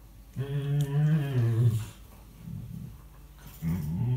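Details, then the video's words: Rescue dog Tia voicing her chatty persona during play with housemate Sandy, 2018, indoors: a long low moaning growl with wavering pitch, a softer grumble, then another rising rumble starting near the end. "Tia being chatty with Sandy"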